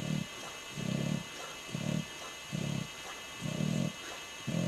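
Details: English Bulldog named Ozzy asleep and snoring, lips flapping; short low grunting snores pulse roughly once a second in an even rhythm.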